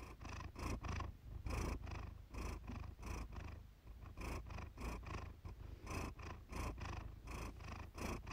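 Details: Siamese cat Iris purring contentedly, recorded for calming purr therapy; deep continuous rumble broken into quick breathy bursts, some paired closely, others spaced nearly a second apart.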